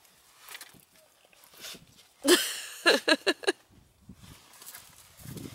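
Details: Central Asian Shepherd Dog puppies squabbling over food, giving a loud harsh yelp followed by a rapid run of four short, sharp barking yelps. Low scuffling and faint human voices lie around them.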